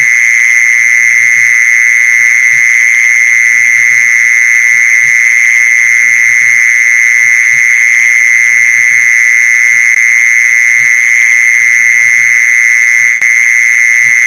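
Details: Mole cricket call played to lure mole crickets: an unbroken, steady buzzing trill at a high-mid pitch with a fainter higher overtone, running throughout at constant loudness, over faint low pulsing thumps.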